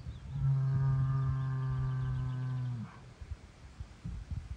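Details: An angry Angus bull, showing everyone he is the boss, gives one long, deep, steady bellow lasting about two and a half seconds, rich in harmonics, then breaks off into rough outdoor noise and faint rustling.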